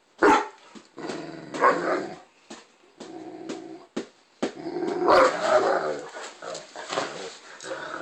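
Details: Male Great Dane pet throwing a temper tantrum because the bone he already had was not good enough: loud, harmonic groaning barks and growly grumbles in irregular bursts, with a person talking nearby.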